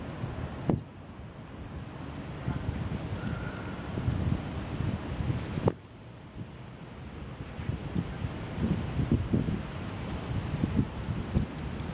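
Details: Low rumbling wind buffeting with a surf-like wash, broken by two sharp thumps near the start and middle, with no animal voice.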